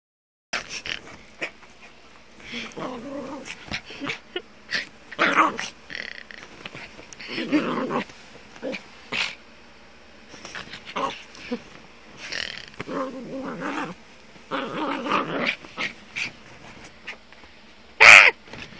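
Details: Rosie, a 10-month-old female Jack Russell Terrier described as very fast and funny, gives intermittent rough, throaty growls in several short bursts spread across the recording, separated by quieter stretches of clicks and rustling.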